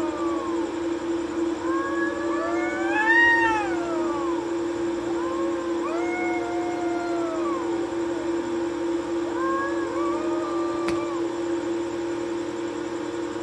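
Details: Nighttime fight between two cats on a courtyard wall: a series of moaning, bending wails of varying length, one louder cry near the start and quieter warbling ones after, against a persistent droning hum.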